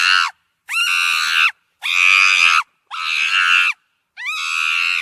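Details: Monkey letting out five loud, rough screams of about a second each, several opening with a quick upward slide, separated by short pauses with no other noise.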